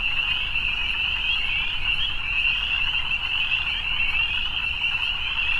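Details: Evening chorus of many frogs, high, fast-pulsing trills merging into an even drone that never pauses, plus a faint low rumble underneath.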